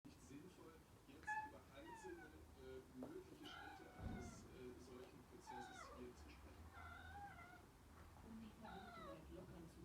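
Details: Domestic cat meowing in a high soprano pitch to invite another cat to a play fight, a string of short rising and falling meows every few seconds, with faint speech in the background.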